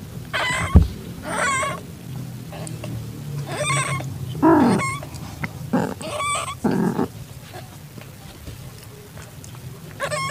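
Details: In a garage on the evening of 8 September 2021, a calitabby cat in heat accepts a newborn calico kitten: scattered short high mews and a few lower, throaty calls, with a knock near the start and steady low hum.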